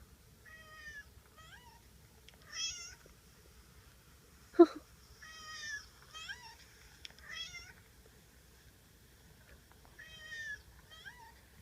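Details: A pet cat meows repeatedly: several short, nasal, wavering meows spread across the recording, some in quick pairs, with a single sharp knock midway and faint low background hum.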